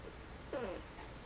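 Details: Female pet cat Akari-chan, who climbed into a storage closet for a dark nap, answers while the light is on, giving a single short, soft, slightly rising then falling meow with clear harmonics, set against a low steady room hum.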